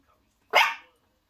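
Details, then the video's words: A Miniature Schnauzer puppy, barking for the first time, gives a single high, sharp bark that fades quickly. "Miniature Schnauzer puppy barking for the first time"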